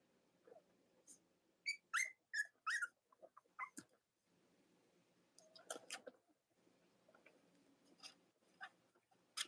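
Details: Cavalier King Charles Spaniel puppies from the litters of Robin and Myra, indoors in the US on a chilly Monday morning near Halloween: a short run of high, thin, rising squeaks and whimpers over a low steady hum, then soft shuffling.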